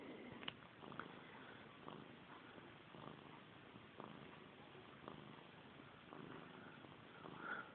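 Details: Indoors at bedtime, Missy Grey, a house cat fixated on her tail since kittenhood, gives a quiet purr. The low throbbing beats repeat about once a second over faint room hiss, with a few small ticks.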